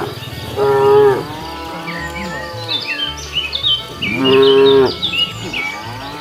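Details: Cows strolling along a road hunting for food give two clear, steady moos about three seconds apart, with busy bird chirps and a low background hum.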